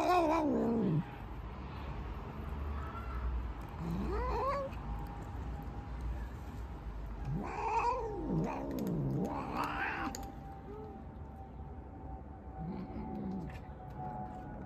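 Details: A black cat gives loud, drawn-out meows, each rising then falling in pitch, with several clustered near the middle and a lone call near the end, over a faint steady hum and scattered clicks.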